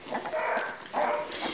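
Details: Two-week-old Labrador Retriever puppies from a litter, recorded 11 January 2016, give thin high whines held in short drawn-out squeals, two bursts about a second apart, with a person's voice nearby.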